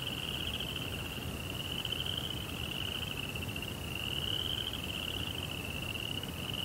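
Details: Night chorus of crickets: a continuous high-pitched pulsed trill, gently rising and falling in pitch, over a faint low hiss.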